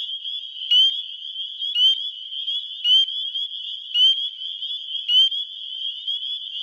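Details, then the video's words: Male spring peepers in Wisconsin spring calling for mates, phone recording: many high-pitched peeps overlap into a continuous ringing chorus, with nearer loud rising peeps roughly once a second. "Spring Peepers (Pseudacris crucifer) calling for lovers"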